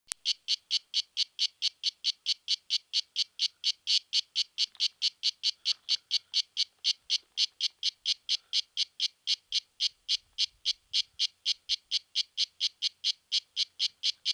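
A cicada sings in steady, high, buzzy rasps, repeated about three times a second.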